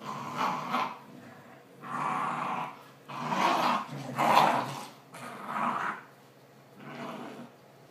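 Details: Two dogs playing tug with a homemade toy made from old t-shirts; deep, rough growls come in about six bursts of roughly a second each, separated by short quieter pauses.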